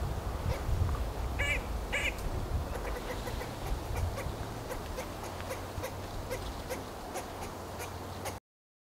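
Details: Eastern gray squirrel (Sciurus carolinensis) calling at Lackford Lakes nature reserve, Suffolk, UK: two nasal, quacking moans, then a run of short dry chucks over a low rumble.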